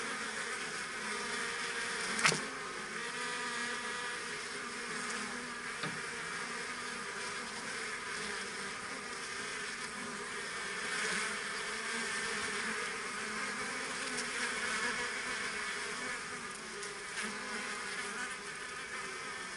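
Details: Honeybees from a kept colony busy at their work, heard as a constant droning swarm hum, layered tones around 200 and 500 with bright upper fizz, one sharp tap near the start.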